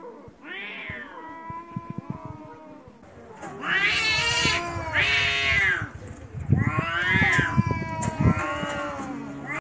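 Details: Two stray cats fighting: drawn-out, wavering caterwauls that rise and fall in long howling swells, overlapping and growing louder, with harsh yowling bursts and some clattering in the background.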